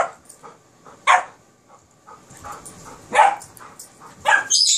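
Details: Playful barking from a Kerry Blue Terrier puppy romping with an Airedale Terrier: scattered yaps and a higher yelp near the end, with quieter rustling between calls.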